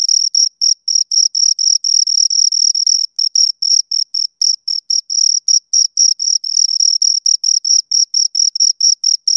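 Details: Crickets, two of them, stridulating nearby: a continuous high trill at first, then broken into uneven short chirps with small pauses, then dense again.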